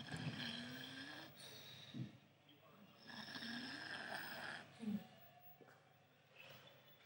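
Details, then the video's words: Five-month-old English Staffordshire Bull Terrier puppy snoring while asleep; rough, irregular breaths with low snorting rumbles and noisy inhalations, some harmonic whine-like tones underneath, breaths rising and falling every couple of seconds. "puppy snoring"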